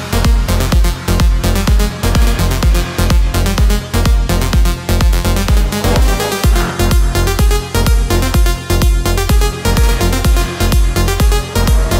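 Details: Pounding electronic dance music with a heavy, regular bass beat fills the whole stretch, and no animal sounds come through.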